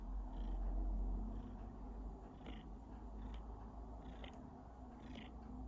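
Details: Domestic cat coughing while purring, a loud low rumble strongest in the first second, then a steady purr with a few faint brief higher catches.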